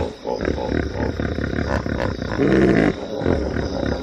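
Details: Hippopotamus making deep, rumbling grunts mixed with a short, louder harmonic honk in the middle of the clip.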